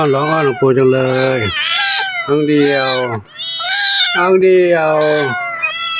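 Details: Hungry temple cats at Wat Pong Chai, Chae Hom, Lampang, Thailand, calling as their monk returns; several rising-and-falling meows break through a man's steady talking, some high and arched, others drawn out between his sentences.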